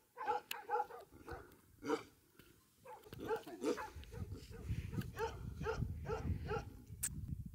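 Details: Bhote Kukur (Himalayan sheepdog) on a farm at Kali Pokhari village in eastern Nepal, above 3,000 meters; a run of fairly distant, resonant barks in quick succession, fading into low rumbling background noise.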